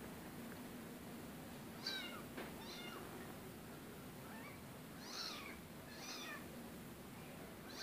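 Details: Rescue cat giving a handful of short, high meows spaced a second or more apart, each bending up then down, over a faint steady hum and hiss.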